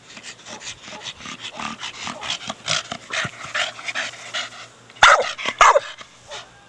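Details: A four-year-old Staffordshire Bull Terrier at play with a big hard plastic ball; muffled growly vocal bursts run throughout, then louder sharp barks with a whining edge around the fifth second.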